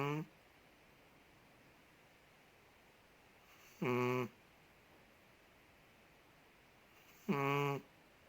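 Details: Loud, strongly tonal snores from Ted, a large Chihuahua in Indonesia, as he sleeps: whining, nasal bursts of about half a second each, repeating every three and a half seconds over an otherwise still indoor background.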